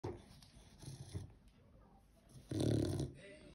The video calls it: chow chow puppy grunt! 😂